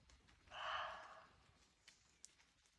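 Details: A roe deer (Capreolus capreolus) gives a single hoarse, rasping bark lasting under a second.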